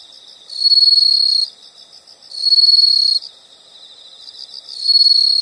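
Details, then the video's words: Insects calling, likely crickets: loud high trilled bursts about a second long, roughly every two seconds, with a softer pulsing chirp between them; no other sounds. "the sound of insects"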